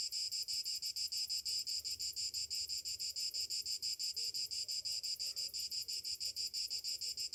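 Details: Cicadas singing on a summer morning, an unbroken high, shrill buzz throbbing in fast even pulses about four or five per second, with only faint background rustle.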